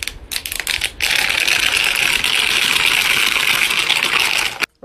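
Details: Rapid metallic clicking and rattling, like coins or keys tapping, fills the clip with no animal call heard.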